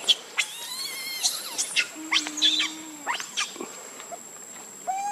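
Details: Hungry baby monkey Leo cries to beg milk from its mother, giving thin, high squeals and sliding harmonic wails, some short and rising, one long and level, with a steady high tone in the background.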